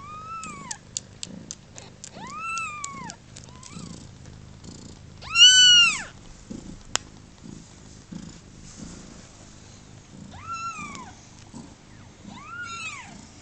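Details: Kittens about thirty hours old, on their second day of life, mew repeatedly. Thin rising-falling cries come in a run, one louder and longer wail follows, then more scattered squeaky mews with brief pauses between them.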